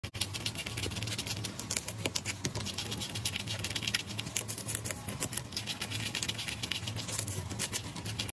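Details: Hamster eating boiled snow peas, crisp rapid crunching and chewing clicks packed densely through the whole stretch, with a steady low hum underneath.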